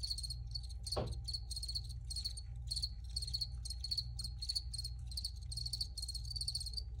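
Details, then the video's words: Recorded crickets give dense, pulsed chirps in quick bursts, with a single sharp click about one second in and a constant low rumble underneath. "Free Cricket Sounds"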